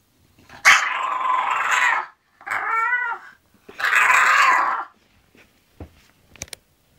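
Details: Zenuś, an English bulldog going to sleep, lets out long rasping grumbles around a shorter tonal whine that wavers up and down, then trails off into soft snuffling and small clicks.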